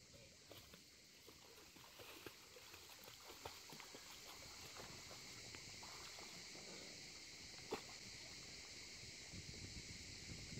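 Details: In summer 2019, a distant chorus of cicadas makes a steady, high, shimmering drone over lapping water. It was heard from a boat anchored by a buoy in a clear-water bay with a small beach, on a voyage from Gruissan to Corsica.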